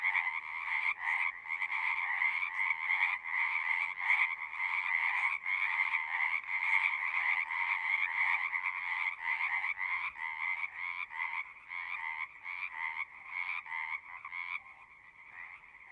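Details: Singing frogs in a loud, continuous chorus of overlapping rapid trills, pulsing about two to three times a second, fading slightly and thinning over the last two seconds.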